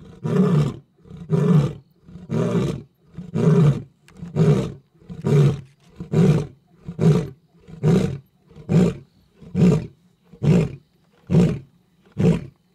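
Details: Night safari, male lion next to the vehicle: a steady run of about thirteen short, low, grunting roars, evenly repeated roughly once a second, each a brief throaty huff.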